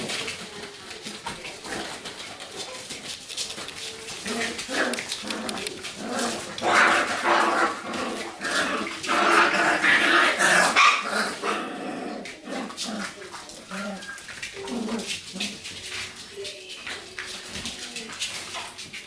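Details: Golden retriever puppies from one litter playing lively together indoors, giving high whimpers, squeals and short yips in irregular bursts, busiest in the middle, over a noisy background of scuffling.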